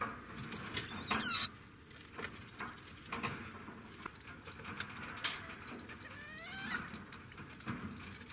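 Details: Degu vocalizing: a brief, very high chirping burst early on, then a series of short descending whistled notes later, with rustling and a faint steady hum throughout.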